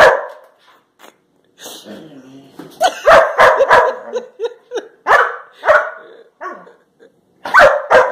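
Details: Labrador Retriever puppies Josie and Jackson leaping for a banana raised above them, recorded March 21, 2018. Sharp, high excited barks come in quick bursts, several in a row, with short pauses and a final pair at the end.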